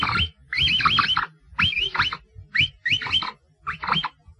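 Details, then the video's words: Capybara giving short bursts of warbling, high whistled squeals that waver up and down, five bursts in about four seconds separated by brief silences, with faint low rumbling underneath. "Tunog ng KAPIBARA | Sound of CAPYBARA"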